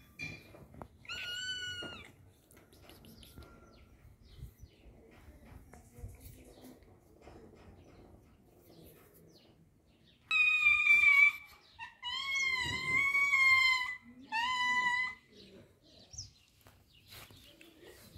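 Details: Domestic cats eating salami: a couple of short meows early on, then a run of three loud, drawn-out, slightly wavering meows close together later, over a quiet background with faint handling and eating noises.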